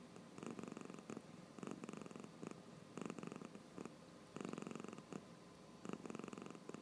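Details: Sleepy cat snores though its eyes are open, producing raspy, vibrating breath bursts in an irregular rhythm, about one every second or so, with soft breaks between them, in a still indoor setting.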